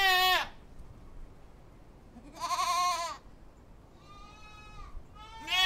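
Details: Goats bleat in loud, wavering, nasal calls, each under a second long, with quieter bleats between.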